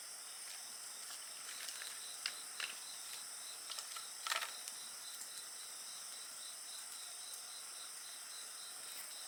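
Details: Insects trilling in a continuous layered chorus of high buzzing tones and pulsed chirping, with a burst of crackling and popping from a bonfire in the middle, then quieter.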